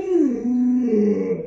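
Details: Indoors, the pet Alaskan Malamute Luoluo utters a drawn-out whining moan that drops early, then holds level and wavers slightly, filling the whole short stretch.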